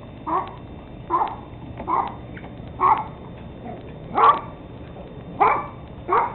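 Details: Thirteen-week-old Teddy Roosevelt Terrier puppies, recorded 17 October 2007, barking steadily: seven sharp, mid-pitched yaps spaced roughly one second apart over a low, even background.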